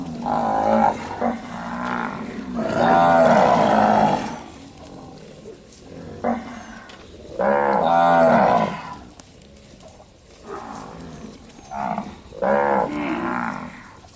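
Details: On a village cattle farm, cattle give long, deep, harmonic moos in several drawn-out bouts, one overlapping another.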